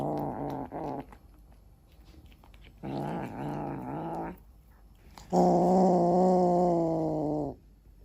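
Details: A cat eating a chicken head gives three low, rumbling growls, the last held steady for about two seconds, with faint chewing between them.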